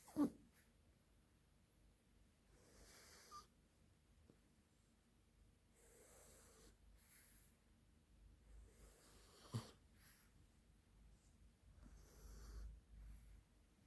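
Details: Bella, a dog knocked out asleep and snoring like a piglet; soft breathy snores drift in and out at irregular intervals, with longer broadband rasps near three, six, nine and twelve seconds over a quiet room.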